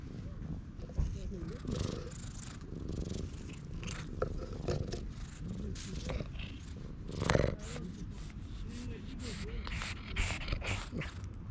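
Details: Stray cat in a park purring while being stroked, filmed on a GoPro; a steady low rumbling purr runs throughout, overlaid by a person's speech and handling noises.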